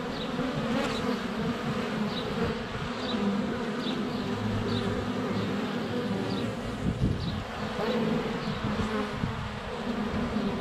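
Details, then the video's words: Close-up GoPro Hero 7 Black recording at a honey bee hive entrance on a sunny February day: a constant low buzz of many flying bees beneath a faint birdsong of repeated short high chirps about every second. "4K Honey Bees - ambient video and audio"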